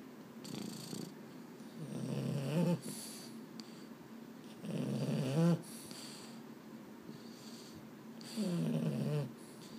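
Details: Sleepless male Boston Terrier (Mambo or Cub) at bedtime indoors: three separate low, rumbling, snore-like grumbles, each ending in a higher nasal squeak, spaced about three seconds apart with quiet breathing in between.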